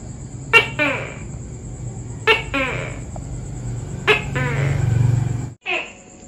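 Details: Tokay gecko, arboreal and active at dawn and dusk, repeating a two-note call, a sudden harsh bark followed by a longer raspy note, about every two seconds, over a low rumble and steady high-pitched hiss.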